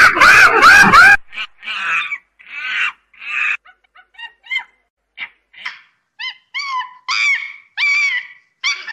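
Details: Monkey calling: a loud, harsh, harmonic burst fills the first second, then a run of short chirping calls with upward bends follows, about three a second, growing clearer and more tonal toward the end; quiet background.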